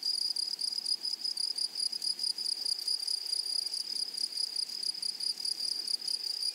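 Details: Meadow grasshoppers on a flowery prairie, singing a continuous piercing high-pitched trill that throbs with rapid, irregular pulses and never pauses; a fainter, even higher ringing tone lies above it.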